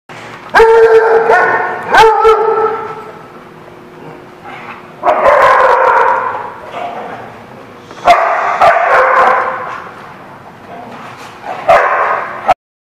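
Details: Dogs at a boarding kennel, barking loudly in bursts: two sharp barks near the start, then three longer noisy bark clusters, with loud banging and a harsh echoing background.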